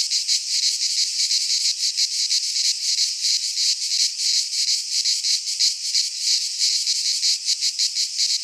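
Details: Midsummer cicada chorus in a pine forest in Greece, a loud shrill sizzling drone throbbing steadily about three times each second, unbroken and free of birds, wind or voices.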